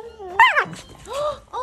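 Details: Pembroke Welsh Corgis playing together: a rising whine, then a sharp yelp, then two shorter whines, with a person's voice close by.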